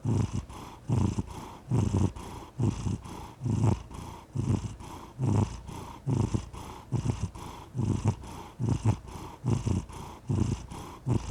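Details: Purring house cat with a deep continuous rumble, swelling on each breath about every second in a regular rhythm, close and clear without background noise.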